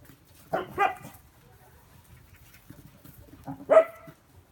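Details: Welsh Corgi during a snake-hunting simulation game played with a bullwhip: two short, sharp barks about three seconds apart, the second louder and higher, with a quiet background between.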